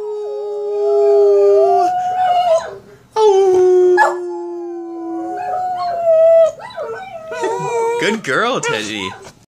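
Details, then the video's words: A young female Boston Terrier practises howling, holding steady wavering tones that break into short yelping slides near the end, while a person softly howls along and praises her. "Boston Terrier Learning to Howl"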